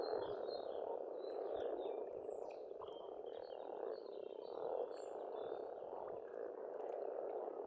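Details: Estonian pond in spring alive with a massed frog chorus, the croaking swelling in waves, accompanied by twittering birdsong high overhead.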